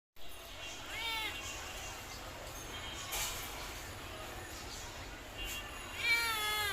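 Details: Domestic cat meowing: two clear, drawn-out meows, one near the start and one at the end, each with a bending, slightly falling pitch over a steady background hiss.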